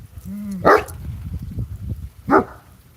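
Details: At night, around 9:40 p.m., with coyotes howling close by, a dog gives two sharp, loud barks about a second and a half apart in alarm at a coyote sneaking up behind a tree.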